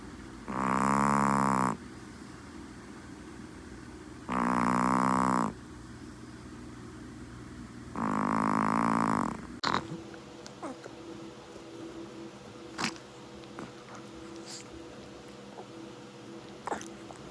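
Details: Female Chihuahua asleep and snoring, three long buzzy, whistling breaths of about a second each, spaced some three seconds apart, followed by quiet breathing with faint clicks and rustles.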